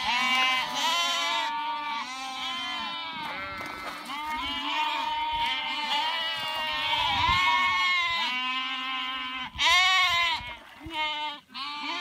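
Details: Flock of sheep leaping over a small stream, a near-continuous chorus of long, quavering bleats from several animals overlapping, with short louder calls near the end.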